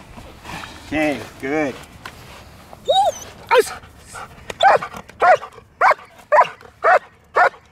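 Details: Spoken commands open the stretch before Milo, a jet black German Shepherd doing protection obedience, breaks into a run of regular, punchy barks roughly every half second.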